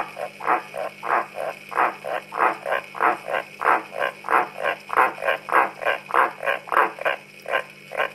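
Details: Pet frogs call in a rapid run of short, rasping croaks, about one or two pulses per second, each a broad burst at mid pitch, steady and loud throughout with a faint constant hum behind.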